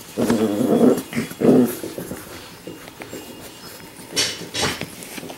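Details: Labrador Retriever puppies in week 5: two short, rough, harmonic growling bursts within the first two seconds, then quieter scuffling and two brief breathy noises near the end.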